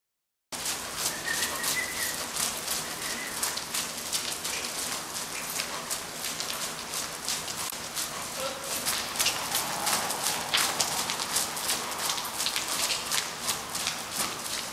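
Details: Dennis, a horse ridden for the first time after an anemia break, fussy with the bridle and naughty outside: a steady run of crisp, crunching hoof strikes, roughly three per second, with faint whistled bird notes early on.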